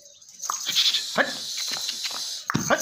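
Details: Beetal goats, male and female, at a goat farm; a short, harsh bleat breaks through a man's shouted commands, over a steady high hiss.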